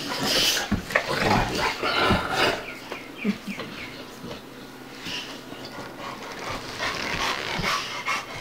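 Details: Rough, breathy panting and snuffling in irregular bursts, about seventy a minute, from two playing dogs: Bubba, a two-year-old American Bulldog, and Ruby, a five-month-old Dogue de Bordeaux.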